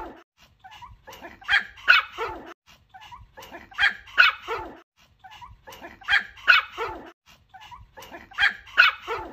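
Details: Dog barking in short bursts, each burst a cluster of sharp yips and barks, repeating about every two to two and a half seconds across the recording.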